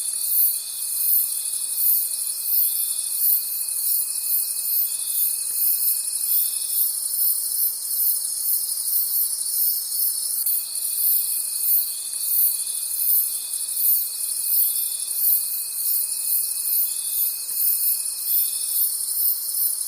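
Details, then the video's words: Crickets calling at night in a forest: a dense, shimmering high chorus pulsing about three times a second, with a steady thin whine that runs for several seconds, drops out, then returns. "Forest Sounds and Cricket Conversations at Night"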